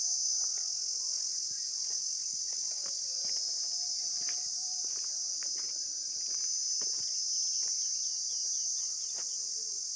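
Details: Continuous shrill insect drone, dense and even throughout, with scattered faint clicks and soft whistled notes in the background.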